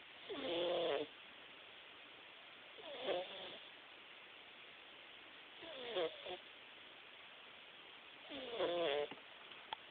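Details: Jaxson, a Himalayan cat, snoring while napping: four loud rasping snores roughly every two and a half seconds, each a harsh buzzy breath with a wavering tone, separated by quiet hiss.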